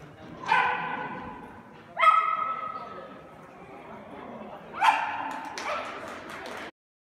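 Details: Kooikerhondje, a Dutch duck-hunting dog breed, gives three bright, ringing yelp-like barks spaced roughly two to three seconds apart, each rising sharply and then trailing off, with soft background voices between them.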